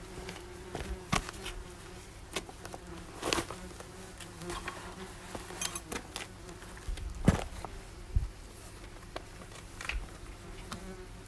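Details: Busy German wasp nest with insects circling everywhere: a constant low whirring buzz under frequent sharp clicks and crackles, loudest bursts around three and seven seconds.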